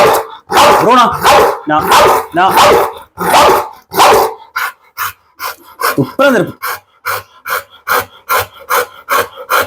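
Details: Pit Bull barking during a dog challenge, its handler warning it would bite and tear; harsh, broad barks overlap human voices for four seconds, then a rapid run of short, sharp barks about twice a second.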